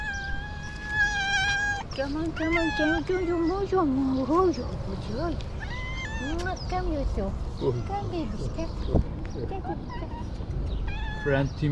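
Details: One of two very hungry cats being fed, one hugging feet and the other slapping a hand: a run of arched, wavering meows, some drawn out, others short and repeated, over a person's coaxing voice and background music.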